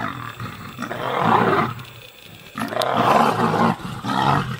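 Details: Wild lions in a fight, a lioness desperately protecting her cubs against nomadic male lions: two long, harsh, rasping roaring bursts, each about one and a half seconds, separated by a short lull, then a shorter third growl.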